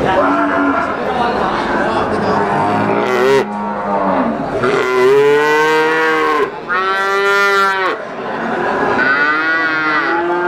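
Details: Brahman breeding cows at the Sumberlawang cattle market in Sragen, 2018: several loud, drawn-out moos, some rising and falling, one after another amid a busy market hum and background chatter.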